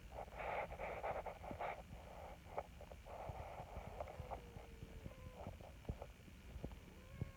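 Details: A big black community cat in Japan, cared for under a TNR volunteer program, meows happily as it is approached. A rough, nasal cry fills the first two seconds, followed by faint thin calls amid soft clicks and rustling.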